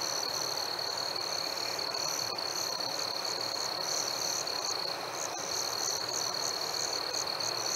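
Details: Night chorus of crickets on a warm summer evening, a continuous shrill trill overlaid by rapid high chirps that come in bursts, some stretches pausing briefly before the pulses resume, with a faint hiss throughout.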